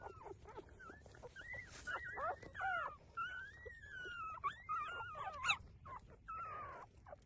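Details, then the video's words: Puppies nursing from their mother whine in drawn-out, wavering high whimpers, several overlapping, sliding up and down in pitch with short squeaks between, steady throughout over a faint low background. "Cute puppy take breastfeeding"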